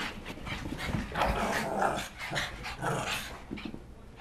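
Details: Shih Tzus chasing each other after a bath, still wet; playful growls and snorts rise and fall in quick irregular bursts, with scuffling and rustling throughout.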